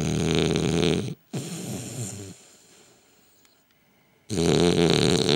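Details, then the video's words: While sleeping, French Bulldog Gilbert gives a loud grating snore, a brief pause, a shorter rasping snort, a few quiet seconds, then another loud rattling snore. "Gilbert breaks the WORLD RECORD of SNORING for French Bulldogs"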